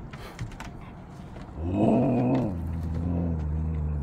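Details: Rowdy Siberian Huskies howling to greet dad arriving home: a drawn-out harmonic howl swells suddenly, bends upward, then settles into a long low steady drone, over a background of scuffling.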